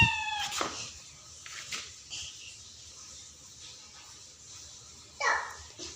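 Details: Pet cat at home; a short, high, bright meow opens, a fainter cry follows near the end, while a woman and a child talk in the background.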